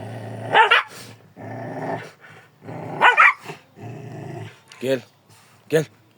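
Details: Kangal dog giving a few deep, sharp barks, spaced about every one to two seconds, with stretches of a man's voice calling between them.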